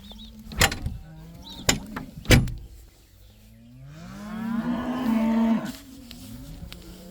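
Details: Cows let out of the barn for the first time in a herd of about 80. Three sharp knocks or clatters come first, then one drawn-out moo swells and fades over almost two seconds.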